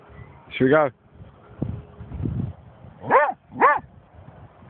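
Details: German Shorthaired Pointer named Snoop barking at a dead seagull it has found: three short, harmonic barks separated by pauses, with a person talking in between.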